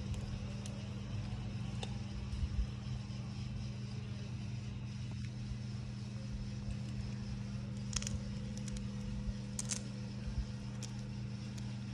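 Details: Constant low engine-like hum with occasional clicks and light crackles, no animal calls.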